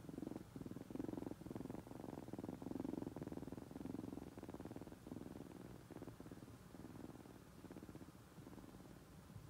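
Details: A people-loving, chatty young kitten, bottle-raised since nursing age, purring steadily at close range; low, rhythmic rumbling rises and falls with each breath, strongest early on, then settles slightly quieter.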